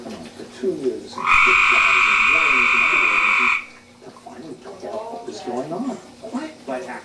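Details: One of three pet tree frogs in a half-land, half-water vivarium, singing in a mating context, gives a loud, buzzy, steady call lasting a couple of seconds, followed by human speech; the owner suspects one frog was pregnant.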